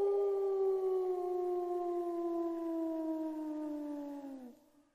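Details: A single drawn-out wolf howl, a clear tone that slowly slides downward in pitch over about four seconds, then breaks off abruptly.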